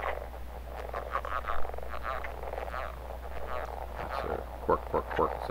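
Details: Male leopard frogs giving mating calls in southern Manitoba in April, by day: short low croaking bursts and snoring rattles, a few quick clucking notes near the end, with a steady low hum throughout.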